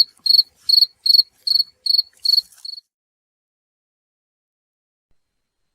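A cricket gives about seven short, high chirps, roughly two or three per second, then falls silent; nothing else is heard.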